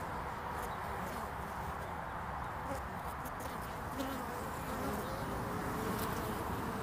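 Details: Many honeybees coming and going on a hive landing board in early spring, 22 February 2019; continuous, rough buzzing drone without pauses, evenly loud throughout.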